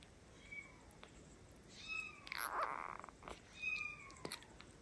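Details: Orphaned kitten, Kiki or Steve, learning to drink milk from a bottle at home; thin high mews with stacked harmonics and a falling tail, one louder cry at mid-clip, with handling sounds around them.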